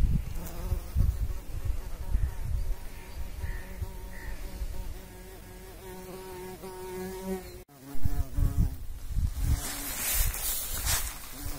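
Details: Bumblebee buzzing as it pollinates: a steady low hum with a strong ladder of harmonics for about seven seconds, a sudden break, then shorter buzz bursts and brief hissy rustling.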